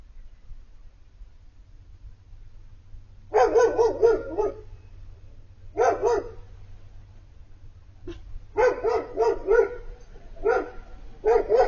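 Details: Four-month-old Siberian Husky puppy Piper 'talking' and crying at the sight of Bandit, her older male friend from across the street. Bursts of wavering, harmonic whines and moans in uneven groups, with short silent gaps between them.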